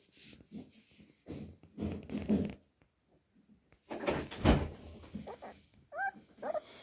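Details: A ten-day-old male puppy making muffled grunting whimpers in bursts, with a short high squeal near the end, indoors.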